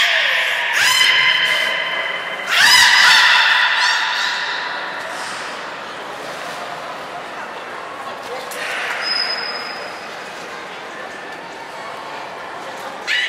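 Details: Nana, a beluga in training at Port of Nagoya Public Aquarium on 13 April 2019, gives two short honking, harmonic calls with buzzy pulses. They are followed by a long, quieter stretch of faint tonal sound and background noise.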